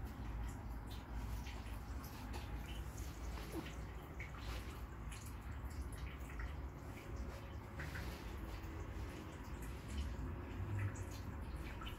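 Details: Continuous water noise and low indoor rumble with faint drips, and no animal voice.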